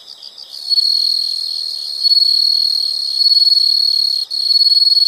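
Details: After a few quick chirps at the start, a loud unbroken shrill insect trill dominates, pulsing subtly in intensity and breaking off only once briefly near the end.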